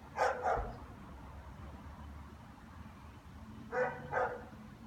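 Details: Barking German Shepherds heard on an owner's return from work: a pair of sharp barks, a quiet gap of about three seconds, then another pair, against faint low background noise.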